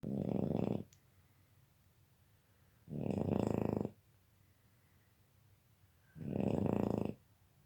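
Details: Sleeping Boston Terrier snoring loudly: three long, rough, rumbling snores, each lasting under a second, spaced roughly every three seconds with quiet breaths in between, indoors.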